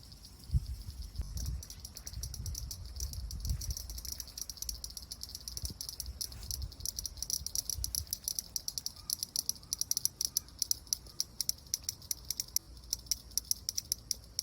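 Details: Cicada calling while it rubs its eye. A high, steady buzzing band sounds throughout, broken by dense rattling clicks that grow sharper and more regular in the second half. Soft low thumps of handling come early on.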